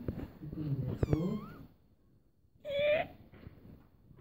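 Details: Cat giving a short, rising meow indoors, preceded by a woman talking in Hindi and a brief squeaky vocal, then quiet.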